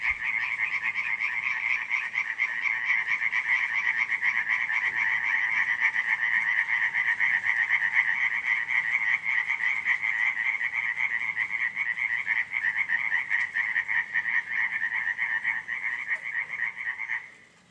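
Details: Frogs croaking through a July 2015 night at Radziszów: a thick, steady chorus of rapidly pulsed rattling croaks in high and lower bands, roughly four pulses a second, cutting off abruptly near the end.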